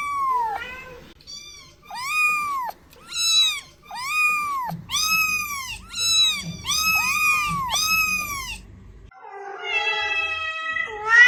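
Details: Cats meowing, used to attract cats and find hiding ones: a fast run of short arched kitten-like meows, then a lower, longer, wavering meow near the end.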